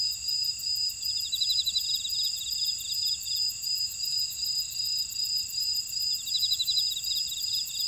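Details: Buckwheat field insects on Jeju Island, South Korea, in Ora-dong: a continuous high-pitched ringing chorus with rapid pulsed chirp trains rising and fading twice, and a fine fast ticking above.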